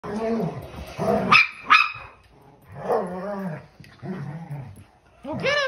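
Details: Dog at play: drawn-out, low throaty growling rumbles broken by a couple of sharp high yelps, ending in a short rising yip.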